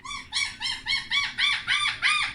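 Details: Puppies exploring after clean blankets are put in their whelping box give a steady run of eight high, arched whines, each rising and dipping, repeated about every third of a second.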